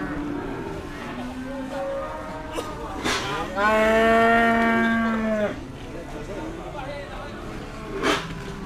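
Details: Cattle at the Dimoro cattle market in Blitar, Indonesia, during tough price haggling and weighing; one long, steady, low moo lasting about two seconds, with market chatter and brief clanks before and after.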